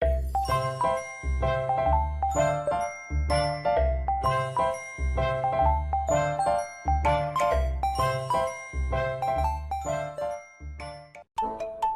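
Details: Bright jingling music with chiming bell-like notes and a steady bass pulse plays throughout, with no animal voices.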